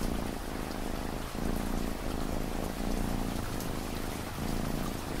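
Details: Low rhythmic cat purring beneath continuous rain, the rumbling drone rising and falling with each breath roughly once a second while raindrops patter and hiss throughout.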